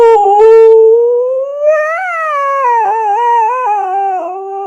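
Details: Pet dog vocalizing on cue after being asked what a dinosaur sounds like: one long, loud, smooth howl with rich harmonics, starting steady, rising slightly, then wavering with small up-and-down bends before tailing off.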